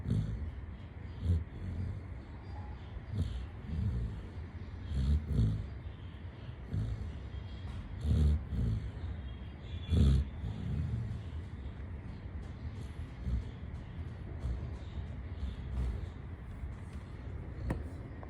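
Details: Chitti, a Labrador Retriever, snoring while asleep: deep, low rumbling breaths that swell and fade roughly every two to three seconds, over a faint steady background hum.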